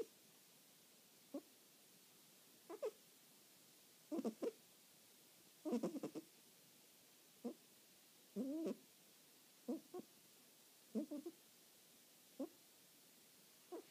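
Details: Sleeping cat snoring in a quiet room: short nasal, slightly squeaky breaths come every one to two seconds, some doubled, with near silence between them.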